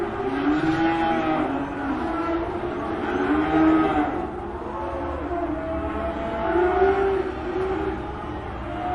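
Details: Farmer's cattle in a meadow calling to one another: several drawn-out, wavering moos overlap in a steady low chorus, rising and falling in pitch, over a constant background rumble.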